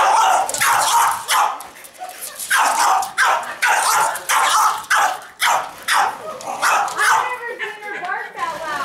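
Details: A French Bulldog, a female, gives a run of quick, gruff barks while a person talks excitedly nearby, apparently during play with a remote control Mustang toy car; she then gets hold of its mirror.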